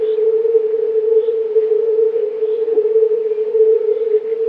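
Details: Mating chorus of several hundred European fire-bellied toad males, steady low humming croaks blending into one continuous tone throughout.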